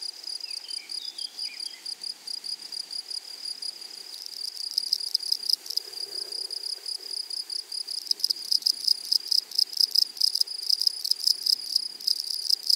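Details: Grasshoppers in a flowery meadow: a steady high-pitched insect whine under rapid, dry buzzing pulse trains that grow denser and louder after about eight seconds, with a few faint descending chirps near the start.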